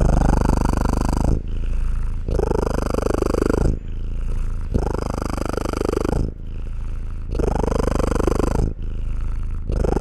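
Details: Cat purring continuously, each breath cycle a deep, buzzing rumble lasting about one and a half seconds followed by a quieter, breathier stretch, repeating evenly through the recording.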